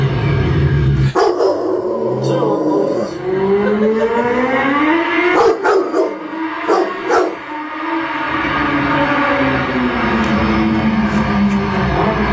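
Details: Pet Rottweiler bitch howling at the sound of a motorbike: one long, mournful, gently rising and falling tone stretched across most of the recording, under a constant engine rumble, with brief voices and clatter midway.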